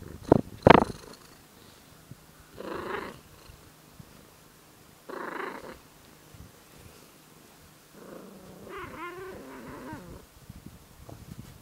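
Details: Tortoiseshell cat growling and purring at the same time: two sharp clicks, then short rough breathy bursts a couple of seconds apart, ending in a longer wavering, grumbling growl over a soft steady purr.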